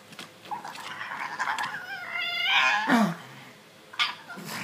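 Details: Stitch, a pug, scratching his itchy neck and making odd noises: scuffling rubs build to a brief nasal, whiny grunt with stacked overtones near the middle, then a short sniff and quieter rustling.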